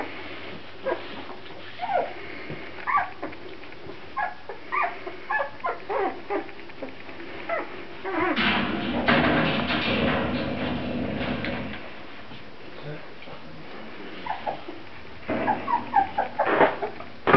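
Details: Several Grand Basset Griffon Vendéen puppies make short, high yelps and squeaks in irregular bursts, broken midway by a few seconds of loud broadband rustling, then a fresh cluster of quick squeals at the close.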